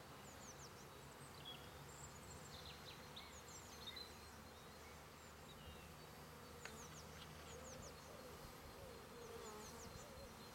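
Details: Honey bees making their first big flight out of two hives after their first winter, on 10 March 2018, bringing in large loads of orange, yellow and white pollen; a steady dense buzzing hum throughout, with small birds chirping in the background.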